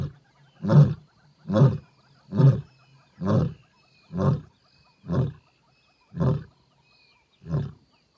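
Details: Gravelly roar of a lioness in a wild African reserve, heard close by from a game-drive vehicle: eight deep, grunting pulses, quick at first and then slowing and fading with longer gaps, with no other sounds around them.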